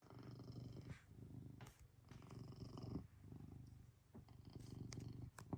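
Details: Maine Coon cat purring while small backyard animals disturb its peace; a steady low rumbling purr runs throughout, with brief soft clicks and rustles over it.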